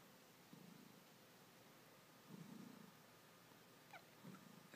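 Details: Ragdoll cat purring while kneading indoors, a quiet low rumbling purr rising in soft bursts over steady background hiss.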